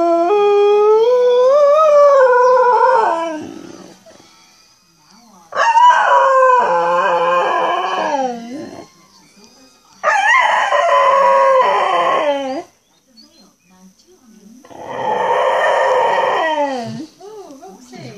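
A Cocker Spaniel gives drawn-out, wavering howls that rise and fall, each lasting two to three seconds. Short electronic chirps and beeps sound between the howls.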